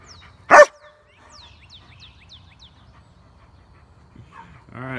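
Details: One loud, sharp dog bark from one of four pet dogs, German Shepherd Odin, yellow Labradors Remington and Hannah, and black Lab Midnight, followed by a series of quick descending bird chirps and a faint harmonic whine at the end.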